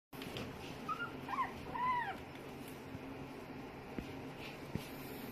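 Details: Female Chihuahua-Maltese mix puppy whimpering: a few short, thin, whistled whines rising and falling, clustered near the start and middle, over a steady low background hum.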